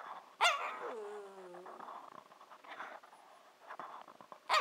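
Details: Shiba Inu puppy Nanako, 14-15 weeks old, 'talking' to her owners, which signals she wants breakfast or dinner; a sharp yelp opens, then a drawn-out falling whine and another abrupt yelp at the end, with faint background noise.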